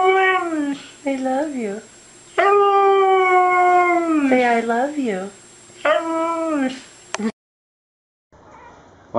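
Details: A 'talking' pet dog in a humorous compilation gives a run of wavering, sung howls. Short bent syllables alternate with a long level tone and wobbling, speech-like inflections, then stop abruptly before a faint quiet sound.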